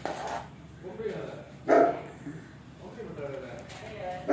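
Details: A husky gives drawn-out, harmonic whining and talking sounds in a small indoor room, with a sharper, louder bark-like burst partway through.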